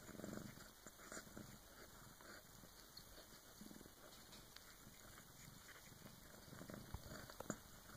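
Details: Bengal cat, a female giving birth to her first kitten with an older cat helping, purring softly in low, steady pulses with a faint constant high hum in the background.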